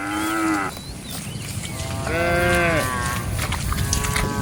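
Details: Cattle wandering in a rice field in a group; one moo fades out early, then a strong harmonic moo arches up and down near two seconds, followed by fainter bellows over constant field noise.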